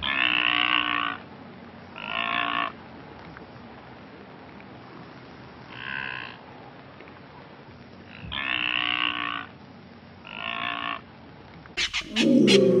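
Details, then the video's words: Blue wildebeest (brindled gnu) in Kruger National Park giving a series of five nasal, moaning calls at irregular intervals over a hiss, followed by sharp clicks and a louder, deeper grunting sound at the end. "Blue Wildebeest (Connochaetes taurinus) Brindled Gnu - Animal Call & Sound"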